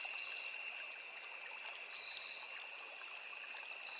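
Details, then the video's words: Chorus of crickets by a small forest river: a continuous, even, high-pitched ringing drone on two steady tones, over the constant hiss and trickle of running stream water. "Sound of Forest and Small River | Crickets, Cicadas, Insects"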